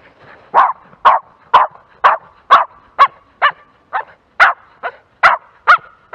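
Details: Jack Russell Terrier working a field, barking in short sharp yaps repeated about twice a second, thirteen barks in a steady series, followed by a man praising the dog in Dutch.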